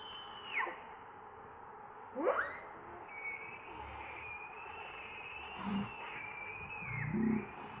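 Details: Baby monkey Leo, hungry and begging its mother for milk, gives steep falling and rising screechy cries, then a drawn-out high whine that dips and wavers, with a couple of lower bursts near the end.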